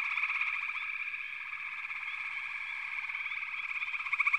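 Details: Frog chorus from many callers: a dense, steady band of pulsed trills in the mid range, overlaid with short rising chirps, swelling slightly louder toward the end.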